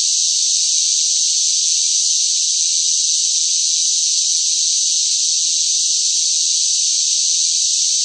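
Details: In summer heat, noisy cicadas produce a dense, continuous, high metallic buzz, level and unvarying throughout, with nothing else audible.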